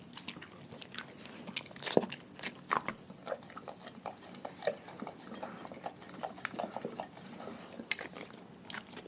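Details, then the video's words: A dog eating raw food in a pack: continuous crackling chews and wet smacks, with crisp crunches spaced about every half second to second, indoors. "Dogs Eating Raw Food"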